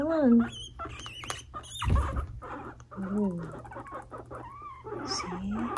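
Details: Two pet guinea pig brothers, five-month-old males, indoors as one bothers the other into fighting; short rising squealing whines recur every few seconds, overlapping a person speaking and soft scuffling.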